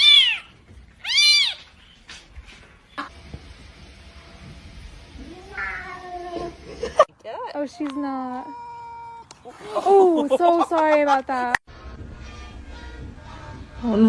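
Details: Domestic cat meowing indoors, several drawn-out, wavering meows with rising and falling pitch, some long and whiny, spread across the recording; people talk and laugh between and over the calls.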